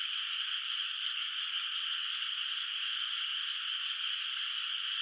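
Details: Distant frogs calling at night in a moonlit countryside rice field, water not yet planted with rice; a dense, steady chorus merges into one unbroken high trilling wash, no single call standing out, with no other clear sounds.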